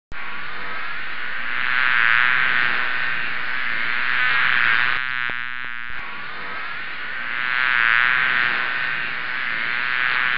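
A swarm of honey bees makes a dense, steady hum that swells and fades as the insects move.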